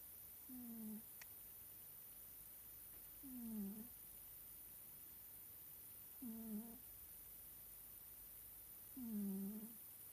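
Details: A sleeping Scottish Fold cat snores indoors: low, rasping, slightly falling snore strokes, one roughly every three seconds, four in all, over a steady quiet background hiss.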